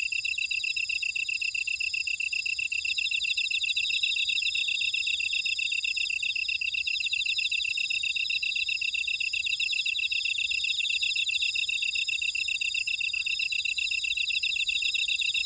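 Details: Insects calling in a buckwheat field at Ora-dong, Jeju City, on volcanic Jeju Island, South Korea: a dense, continuous high chorus of rapid chirps in several overlapping bands, pulsing steadily throughout with no other sounds.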